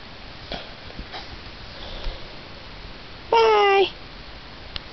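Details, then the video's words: Black German Shepherd dog indoors, said to like arguing, gives one short whining vocal lasting about half a second. The tone is strongly harmonic and falls slightly near the end. Faint human speech comes just before. "Talking German Shepherd"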